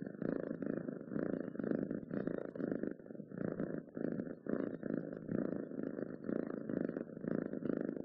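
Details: Close-up purring of a domestic cat: low rumbling bursts that swell and fade with each breath, roughly one cycle every half second, with brief quiet gaps between inhale and exhale.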